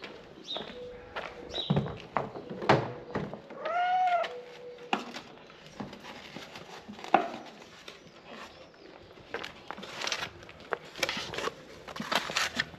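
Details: Male tabby cat calling to people after seeing his stray friend frightened; one drawn-out, arched meow with strong harmonics midway, among scattered thumps, clicks and handling noises.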